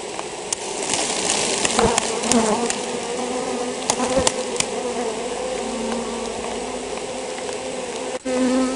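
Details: Honey bees from a colony affected by European foulbrood, a steady dense buzzing hum with a low drone and faint higher tones, broken by occasional sharp clicks and knocks.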